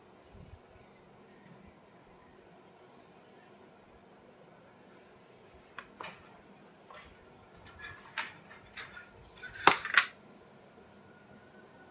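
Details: Quiet indoor room tone broken by sharp clinks and clatters, like dishes or small objects knocking together. No clear animal voice stands out.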